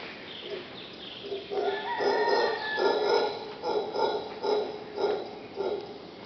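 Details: Wild howler monkeys heard from a bedroom at Punta Uva on Costa Rica's Caribbean coast, August 2nd: a rasping series of throaty roaring pulses, roughly two per second, swelling louder mid-sequence.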